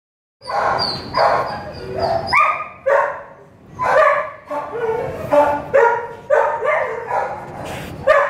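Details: Two-year-old brindle Mastiff mix, a stray held in a kennel at MCACC East shelter, gives a run of loud, sharp, harmonic barks in uneven bursts about every half second. Thin high whines sound near the start, and some kennel noise sits underneath.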